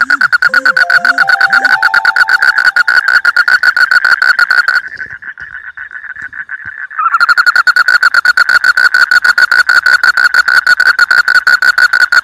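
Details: Frog calling in rice fields, a fast, steady train of sharp clicking pulses, about two per second, with a brief pause midway; a few soft rising-falling low notes and faint tonal whistles sound at the start.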